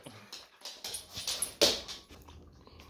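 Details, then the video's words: Pet husky, female, indoors, vocally demanding a piece of Laughing Cow cheese; a run of short rising whines and yelps building to one louder, sharper cry near the middle, then quieter. "My Husky DEMANDS and Eats LAUGHING COW CHEESE"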